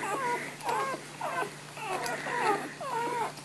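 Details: Golden Retriever named Niuniu, a female in labour with contractions after delivering three puppies, a fourth due, restless and wanting to go out, whines without stopping: about six high, wavering, nasal whimpers in quick succession, some rising then falling.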